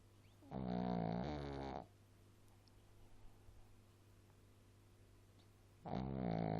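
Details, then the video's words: A small pet dog snoring, two long rasping, droning snores of about a second each, separated by a quiet pause over a steady low background hum. "chien ronfleur"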